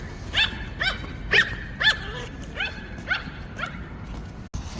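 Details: Retriever mix dog wanting to make friends, giving high, whining yelps that bend up and down, about seven in a row roughly twice a second, while people call it over softly in Korean.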